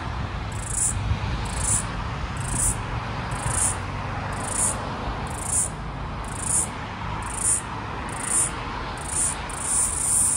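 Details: Last floury baker cicada of the 2022/2023 Australian summer, calling near a busy street while trying to synchronise with another cicada; shrill buzzing pulses repeat roughly every second, about ten in a row, over steady low traffic hum.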